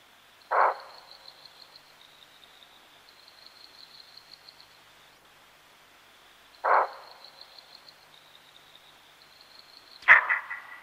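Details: A common (Cape) bushbuck, Tragelaphus sylvaticus, outside Lake Panic in Kruger National Park gives sharp, hoarse alarm barks about six seconds apart over a steady insect trill.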